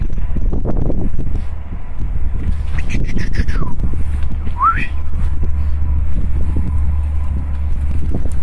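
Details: Street puppies at play, met by chance on a road, whimper twice: a falling whine, then a short sharply rising one. A steady low rumble of wind and traffic runs throughout.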